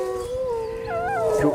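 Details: Wolf giving a short, smooth, tonal howl that holds steady and then dips slightly, with a fainter second voice rising above it near the end. Low background hum.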